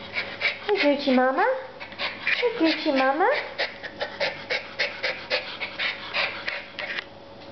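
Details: Puff Daddy, a 14-week-old schnauzer pup of only 14 ounces, makes two whining cries that swoop down and then climb. Rapid breathy panting and a woman's chatter follow.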